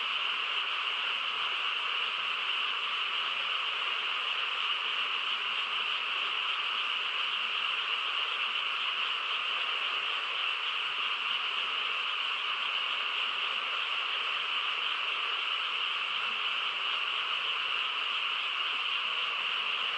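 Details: Long stretch of a rural nighttime frog chorus, a steady, dense trilling hum of many overlapping callers at a constant level, high band dominant over a lower one, no other sounds apparent.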